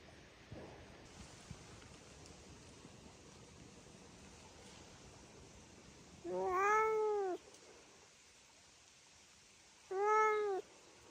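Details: Domestic cat giving two separate arching, whining meows about four seconds apart, each rising then falling in pitch, over a quiet background hiss.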